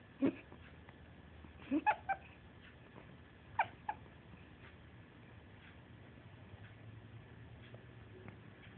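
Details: A one-month-old Pungsan puppy whimpering in its sleep during a nightmare: short, high, strained yelps come in three small bursts over about four seconds, then quiet room hum with faint scattered clicks.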